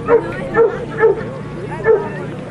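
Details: Female Boxer dogs recorded on Sunday, 25 March 2012; four short, harmonic barks come at uneven intervals of roughly half a second to a second, over steady background murmur and human voices.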